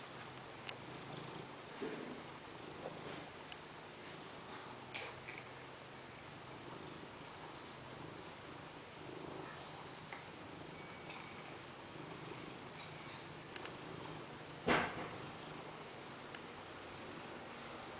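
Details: Sun-tanning fat house cat giving a low, continuous purr, a quiet even rumble throughout, with faint room noise, a few soft ticks and one brief crackling burst toward the end.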